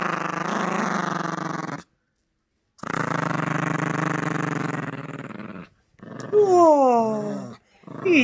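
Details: Yorkshire Terrier puppy growling during tug-of-war with a squeaky toy: two long, steady rattling growls of about two and three seconds, followed by high, sliding squeals of the toy.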